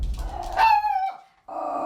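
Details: Mayo, a dog that guards the home by barking at outsiders, lets out a single short bark during a home training visit. The bark comes amid a trainer's spoken instructions indoors, followed by a steady hum.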